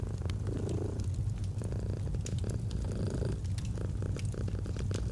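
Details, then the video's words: Domestic cat purring steadily, a deep continuous rumble with rhythmic breathing swells, set against crackling fireplace pops in a cozy autumn ambience. "Purring of a Cat"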